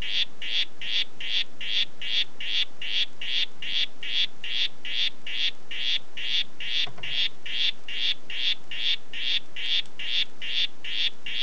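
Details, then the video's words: Oophaga histrionica, the "Red Head" form, calling in a steady series of short buzzy notes around the upper-middle range, about two and a half per second for the whole stretch, with a quiet background. "Oophaga histrionica "Red Head" Ruf"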